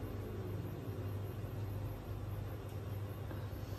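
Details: Steady low rumble of vehicle or engine noise with a hum, and no animal voice.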